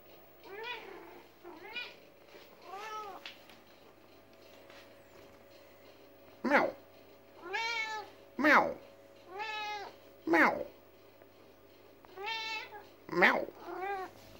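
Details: Pet cat in a heated argument with its owner, answering in a string of about ten meows over fourteen seconds, some long and wavering, others short and sharp, with a person repeatedly saying "meow" in between.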